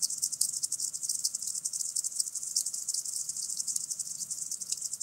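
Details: {'text': 'Common green grasshopper from Tschenn, Italy, recorded 19 August 2019: continuous high, dry, rapidly pulsed stridulation with uneven loudness, over a faint steady low hum.'}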